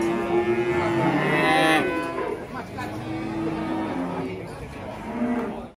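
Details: Cattle at an Indonesian livestock pen, lowing in a drawn-out, harmonic moo that slides slowly downward over the first two seconds, followed by softer, wavering moos beneath background noise and hints of music.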